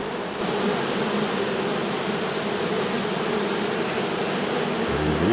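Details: Western honey bee swarm recovered on 13 April 2024, suddenly heading toward the hive box entrance: a dense, steady, low droning buzz of many bees filling the whole stretch, with a brief tonal hum near the end.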